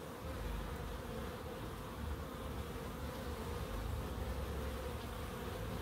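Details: Bees in a small wildlife garden in Crookes: a steady, low droning hum with a strong deep rumble and a band around the middle, continuous and even in loudness throughout.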